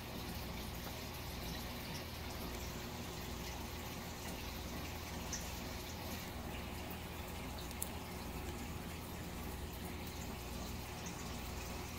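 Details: Steady broadband hiss like running or dripping water indoors fills the whole recording, with no animal calls heard.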